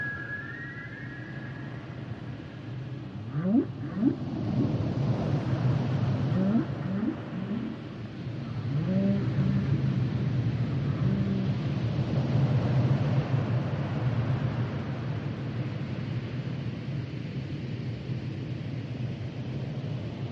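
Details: Humpback whale song: a high descending whistle opens, then rising sweeps and moaning tonal units between roughly low and mid pitch, over a steady low underwater rumble.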